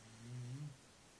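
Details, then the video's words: A dog snoring: a single low, rumbling snore lasting about half a second, quiet, with nothing else heard around it. "Dog snoring"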